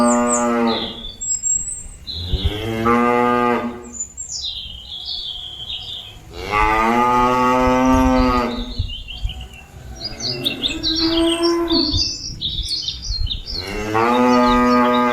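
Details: Cattle lowing to call companions back to the pen: four drawn-out, rich moos, one fainter and overlapping, with frequent bird chirps and twitters between calls.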